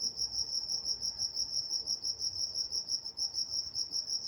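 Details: Night-time crickets in Walnut, California, giving a dense high-pitched chirping chorus, pulses repeating roughly three times a second, with a faint upper harmonic band and quiet low background.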